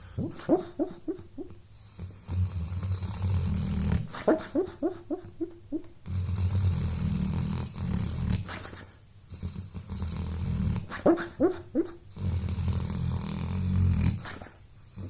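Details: Buddy, a pet dog, sleeps at home after a long day of playing, snoring in slow cycles: low rumbling inhalations about four seconds long alternating with short whistly, wheezing exhales that come in quick bursts.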